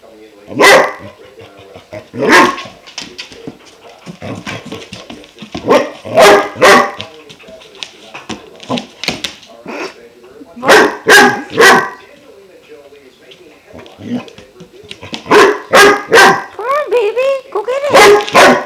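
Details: Five-month-old German Shepherd puppy Klaus barking at a new water buffalo horn, which he kept up for twenty minutes before chewing it; bursts of loud barks in pairs and triplets, separated by whiny, rising yelps and grumbles, in a small room.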